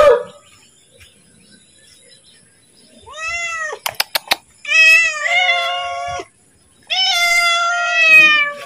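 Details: Domestic cat calling to be fed as its owner is about to give it food, indoors; drawn-out harmonic meows rising then levelling, three main calls in the second half, with a few sharp clicks before the second.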